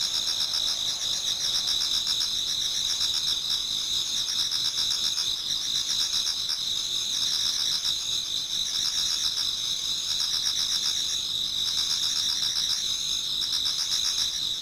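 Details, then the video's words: Before dawn in autumn, many insects fill a Japanese garden with a constant high shrill chorus; repeated waves of fast pulsing trills swell and ease roughly every two seconds throughout. "Autumn Insects voice Towards dawn"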